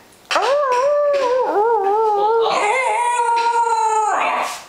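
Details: A fluffy Pembroke Welsh Corgi, coaxed by its owner to "talk", chortles in one long, wavering, tuneful howl that bends up and down.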